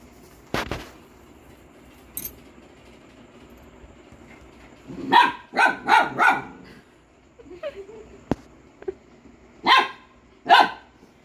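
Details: A pet dog barks in short bursts: a cluster of four quick barks, then a pause, then two more spaced barks, with scattered clicks and knocks between them and speech following.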